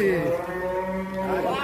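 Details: A one-ton cattle raging and breaking out of its pen gives a long, steady, low moo with a rich harmonic tone, holding level before rising slightly at the end; faint voices in the background.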